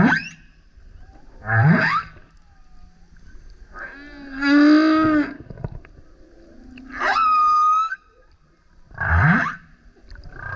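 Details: Male humpback whale surfacing alongside a kayak while singing loudly: roaring upswept grunts, a rich harmonic howl, a high steady whistled note and another deep rising grunt, units recurring every few seconds.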